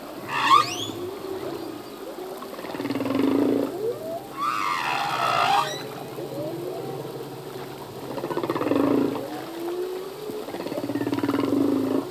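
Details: A singing male humpback whale voices a quick rising squeal, then deep moans, a harsh descending roar and further low groans, units spaced several seconds apart in open water.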